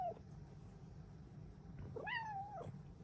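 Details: Cheerful morning meow from a female Bengal cat: a single call that rises sharply, holds briefly, then slides down, heard over quiet indoor hum.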